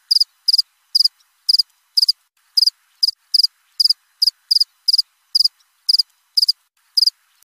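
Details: Cricket chirping in a steady string of short, high, pure pulses, about seventeen bursts in under eight seconds, each a crisp ringing trill with bright overtones, spaced irregularly against a silent background.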